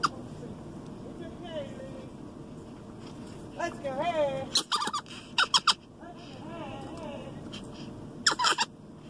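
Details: Louie Ray, a capuchin monkey aged 16 and raised by a dog groomer, cries out in warning at farm cows. Scattered short wavering squeals come amid sharp clicking knocks and low outdoor rumble.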